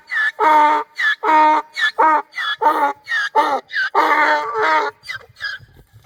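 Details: A donkey at Krvavec, Slovenia brays in a loud, rasping series of harsh, see-sawing blasts that fade toward the end.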